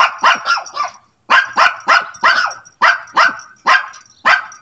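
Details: A pet dog calling out to the neighbour's dog in hope of a reply: loud, rapid barks in quick bursts of three or four, with a brief pause between bursts, clear and close.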